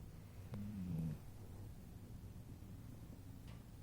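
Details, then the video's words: Female dog asleep on a couch, snoring; one soft, low rumbling snore about half a second long, then a steady quiet low hum with no other clear sounds. "My #Dog Gracie is #Snoring While #Sleeping On Couch"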